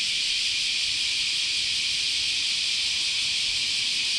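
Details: Continuous cicada chorus in a Japanese summer at Chionji Temple, Kyoto: an unbroken, even, high-pitched sizzling wash that keeps the same loudness throughout.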